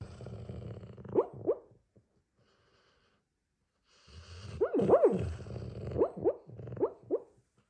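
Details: Dog making a sound likened to a truck that won't turn over: low rumbling grumbles broken by short rising whiny squeaks, a brief pause, then a longer sputtering run of repeated chugging whines.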